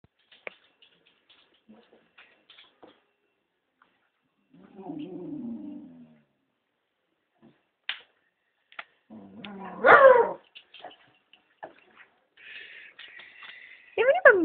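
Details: Female Scottish Terrier kept as a pet, moaning in protest at wearing her leash for walks during a teasing game. A low grumbling moan gives way to louder wavering, whining moans, with scattered clicks and faint voices between them.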